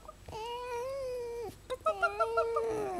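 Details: Female pet fox giving a long, steady, nasal whine lasting over a second, then a string of quick, bouncy chirps that slide into a drawn-out falling wail, in a small indoor room.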